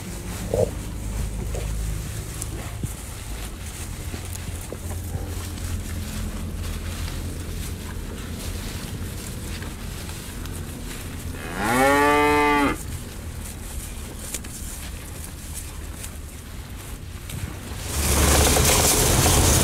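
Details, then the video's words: Grazing bull eating elephant grass lets out one full, resonant moo midway, rising and falling over about a second, with low rumbling background before it and a burst of rushing noise near the end. "SUARA SAPI JANTAN MAKAN RUMPUT GAJAH 30 MENIT | SUARA SAPI MOO"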